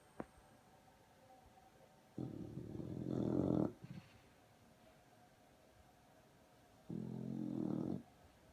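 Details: A sleeping female English Bulldog snores loudly with her lip vibrating. Two low, buzzy, rattling snores are heard, one about one and a half seconds long and a shorter one later, with quiet pauses between them indoors.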